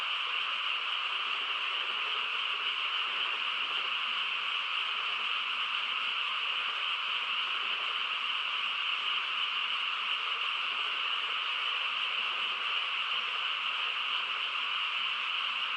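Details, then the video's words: Night-time chorus of frogs in a quiet rural setting, a constant dense trilling mass that stays level across the whole stretch, no single voice distinct and no other sounds clearly heard. "고요한 시골 밤에 개구리 합창 소리"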